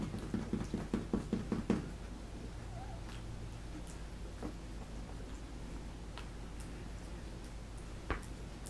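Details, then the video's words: Three-week-old puppies at feeding time indoors: a quick run of about eight short, low squeaky grunts in the first two seconds, then quiet apart from soft clicks, taps and rustling. "Puppies feeding time 3 weeks old"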